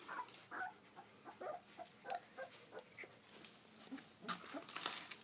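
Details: Twenty-day-old Kuvasz puppies at a kennel in Szentendre, Hungary, giving brief high squeaks and whines in scattered bursts, with soft rustling and shuffling between calls.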